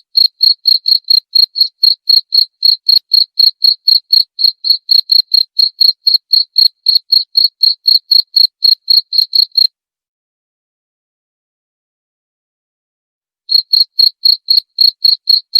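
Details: Cricket sound offered as a rat repellent and lure: a long run of sharp, high chirps about four per second, broken by a few seconds of silence before the same rapid pulsing resumes.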